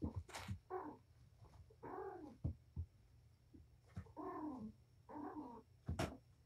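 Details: Patience, a mother cat at Purrfect Pals, playing with her five kittens in a messy room; a run of drawn-out, wavering mid-pitched meows about a second apart, broken by sharp knocks and scuffling.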